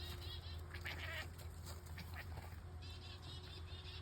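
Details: Marvin, an F4 Savannah cat, cackles in a duck-like voice while birdwatching chickadees: nasal, harmonic chattering bursts in two bouts, one early and one near the end, over a low steady hum.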